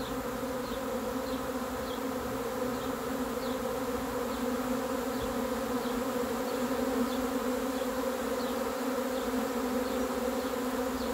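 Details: A swarm of honey bees arriving fills the air with an even, sustained buzzing hum in layered low tones, with no pauses. Faint, regularly repeating high chirps run beneath it.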